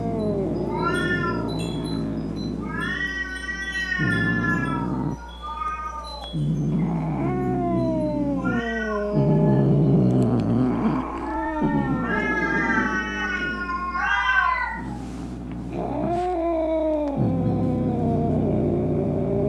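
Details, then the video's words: Angry domestic cat yowling to frighten off rats, opossums and other cats; a series of long, rising and falling wails with harsh growly stretches between them, roughly six howls over twenty seconds. "Som De Gato Miando Bravo - Ronronando Para Espantar Rato, Gabiru, Saruê e Outros Gatos"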